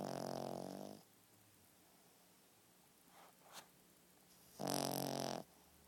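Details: Sleeping dog snoring indoors: a rough, buzzing snore at the start and another about four seconds later, with faint rustling sounds in between.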